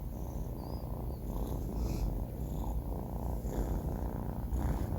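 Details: Banh Mi, a 4-month-old male pet cat, snoring while asleep: a continuous low rumbling purr-like rasp with soft breathing swells, steady throughout, nothing else heard.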